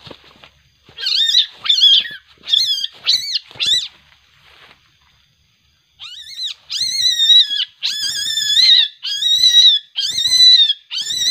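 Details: A juvenile civet, very aggressive at night after capture and later released, lets out harsh, high, rasping screeches, each about a second long, in two rapid series separated by a brief pause: angry, defensive calls.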